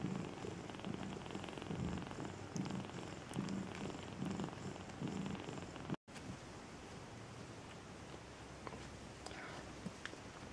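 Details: Maine Coon at a cattery in Saint Petersburg, Russia, giving a soft pulsing purr for about six seconds, then a sudden cut to quieter room sound with faint rustling.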